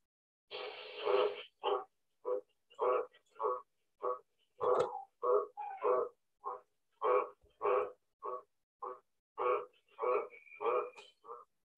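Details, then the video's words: A big green tree frog in an Australian backyard near Sydney gives a classic steady series of short, low, husky croaks, several each second or two. "this is the green tree frog. Let's listen to his call."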